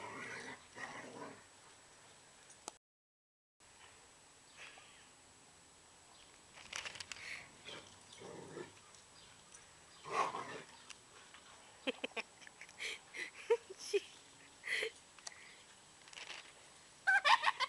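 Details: American Bulldog Princess and Akita Bruno wrestling in a backyard; irregular short yips, whines and growly bursts come faster and louder toward the end, mixed with scuffling noise.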